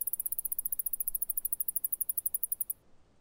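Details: A male Alston's singing mouse (Scotinomys teguina) sings in response to female odour, a rapid, very high-pitched trill of evenly spaced chirping notes.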